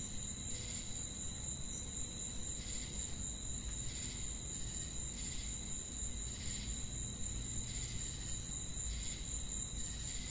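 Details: Crickets calling at night in forest surroundings: a high, unbroken buzzing trill with rhythmic chirp bursts roughly every second and a quarter, and a faint low hum in the background.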